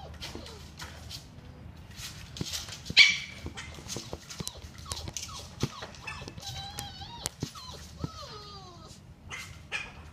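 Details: Labrador Retriever whining quietly: thin, wavering tonal whimpers, some rising then falling, scattered between clicks and light thumps, growing more frequent toward the end.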